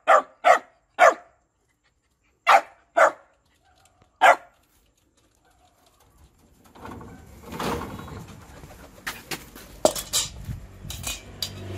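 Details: Shiba Inu dog begging for food with six short, sharp barks in the first four seconds, paired and single, followed by a quiet gap and then rustling, handling noise and a person's voice.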